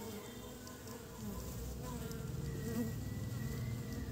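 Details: Low, continuous drone of honey bees bringing pollen home to build the nest in early spring, growing louder partway through, with a thin high whistled tone in the background.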